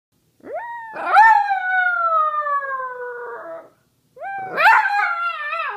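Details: A pet Samoyed howls together with its owner: a long tonal howl that rises sharply, then slides slowly downward for over two seconds, followed after a pause by a second rising howl. Nothing else is heard.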